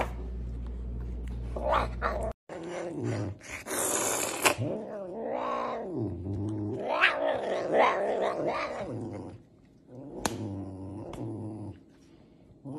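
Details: Serval asking for food: a run of loud, wavering meow-like calls with a growly, harmonic tone, each rising and falling, packed closely together over several seconds. The calls then fade to quieter sounds, and a low hum runs at the start.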